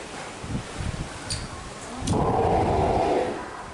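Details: Ten-day-old Steller sea lion pup with its mother at Marinepia Nihonkai aquarium, 12 July 2023, in poor weather; the pup is active and nursing. Low rumbles lead into a loud, sustained, harsh bleating cry of about a second over steady background noise.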